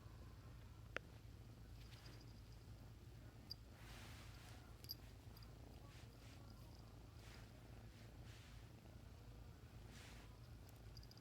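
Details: A Bengal kitten (Felis catus) purrs in a steady, low, throbbing rumble with occasional soft rustles.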